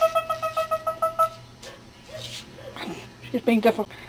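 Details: A rapid series of about nine short, evenly spaced high whimpers from ten-week-old Cardigan Welsh Corgi puppies opens, followed by people talking and a few scattered squeaky yelps.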